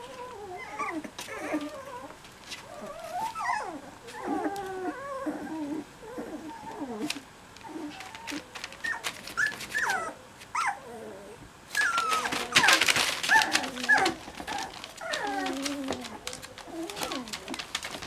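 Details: Cocker Spaniel puppies cuddling together, giving a steady stream of high, wavering whimpers and squeaky yips that bend up and down in pitch, with a burst of rustling partway through.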